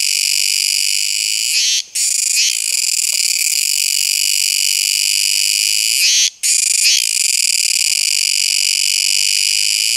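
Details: Kuroiwa tsukutsuku cicada sounding a loud sustained high buzz, pausing abruptly twice, about four and a half seconds apart, with small faltering notes around each break before the continuous tone returns.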